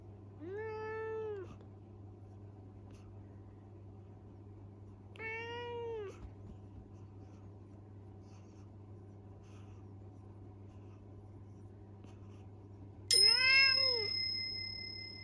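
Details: Scolded for mischief, the young male Minuet cat Minira answers with mumbled excuses indoors: three rising-and-falling meows spaced several seconds apart, the last one louder and overlaid by a bright, sustained chime-like tone, all over a faint steady hum.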